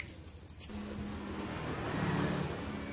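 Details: A vehicle engine drones and revs with a steady low tone, and no animal voice can be picked out.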